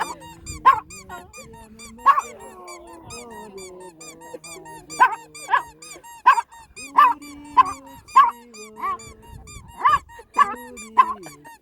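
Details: Dog singing at Dream Forest: a dozen short, high, squeaky yelping notes, each rising then falling, repeated roughly every half second to second, over a soft melody of steady sustained tones.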